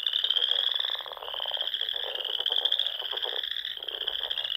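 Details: Frogs calling in spring at dusk on lakes and ponds of the Sandhills, Nebraska; dense unbroken high trilling with quick buzzy pulsed croaks layered underneath.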